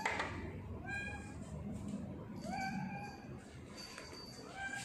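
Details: A pet tortoiseshell cat named Sia meows repeatedly indoors on 2019/10/21. There are four short calls, one slurred and rising then level, spaced about one to two seconds apart over soft room noise.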